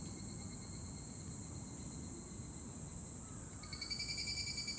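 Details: Evening cicada (higurashi, Tanna japonensis) at dusk in Yoyogi Park, Tokyo, singing its kana-kana song: a steady high shrill hiss runs throughout, then near the end a rapid, ringing pulsed phrase starts up over a low background rumble.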